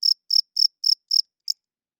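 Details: Cricket chirping at night, five evenly spaced high, pulsed chirps about a quarter second apart, followed by a shorter final chirp and silence.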